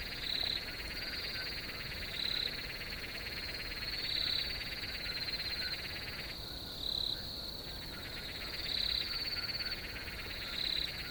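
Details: Cricket chorus outdoors, a continuous high-pitched trill with louder chirp bursts every two seconds or so; the lower buzzing layer briefly drops out midway before resuming.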